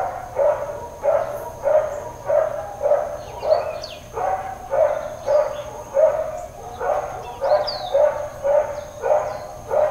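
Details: Dog barking in Hawaiian Paradise Park, Hawaii, on Labor Day, September 2, 2024, during a long bout of intermittent, uncontrolled barking. Steady single barks about every half second to second over the whole stretch, with birds chirping and whistling faintly above.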